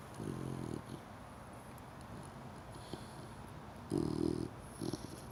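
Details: Cream Chow Chow puppy, four months old, snoring in its sleep: low, buzzy, rasping snores about half a second long near the start and around four seconds, then a shorter one, over quiet indoor background hiss.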